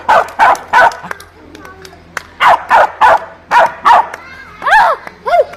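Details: Dogs barking: loud, sharp barks in pairs and triplets, roughly three bursts per second within each run, ending in two higher whining yelps with sliding pitch, over a low steady hum.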